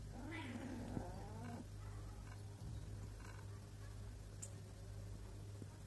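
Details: Domestic cat, a pregnant mother with two kittens, gives a wavering drawn-out meow in the first two seconds over a steady low electrical hum, then quieter rustles.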